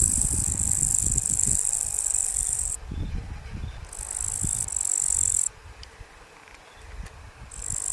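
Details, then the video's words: Locusts producing a strange, shrill hissing drone in long bursts of about three seconds, one shorter burst, then a gap before it starts again, with low rustling and knocking sounds beneath. "Hear the strange sound of locusts"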